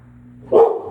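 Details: Bonnie, a bulldog, barks at someone passing by: one short, loud, sharp bark after a steady low hum.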